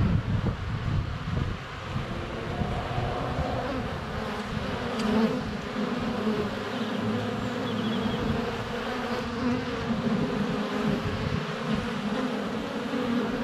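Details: Dense humming drone from many honey bees in flight at the hive entrance on a sunny day in February, recorded under a foot away on a GoPro Hero 7 Black; constant buzz with brief faint high chirps of birdsong.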